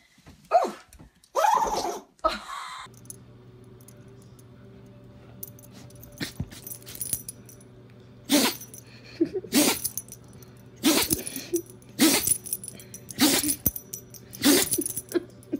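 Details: Pet dog sneezing on command indoors as its owner gives cues. Short, sharp, breathy bursts repeat about every second. Earlier in the recording the owner speaks commands.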